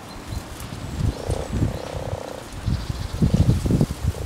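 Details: Common frogs (Rana temporaria) in a pond during spawning in spring give low, rumbling, purring croaks in quick irregular pulses.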